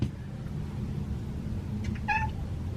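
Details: A domestic cat, thought to be an indoor cat rather than the feral cat lying outside, gives one brief, clear meow, a bright harmonic note that holds level and fades, over a low, steady rumble.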